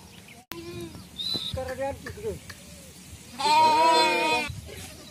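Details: Traditional Indian sheep herding: after brief murmuring and a sharp click, a single long, loud, quavering bleat lasting about a second rises over low background noise.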